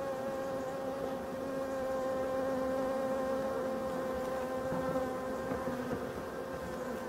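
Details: Steady unbroken hum of a European dark bee colony in a Voirnot hive, from abandoned forest hives, during wintering preparation on 30 October 2021; smooth continuous drone with clear harmonic layers and no other sounds.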